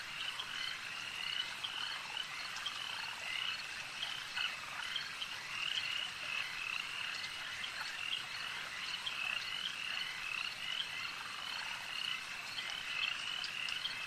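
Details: Many frogs croaking together at a lake, their quick high-pitched chirps pulsing in an unbroken layered chorus over a soft, constant background hiss.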